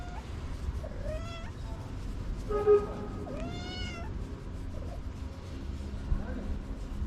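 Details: Orange male cat waking from a nap and yawning: three soft, drawn-out meows, the middle ones higher and wavering, spread over several seconds above a steady low rumble of background noise.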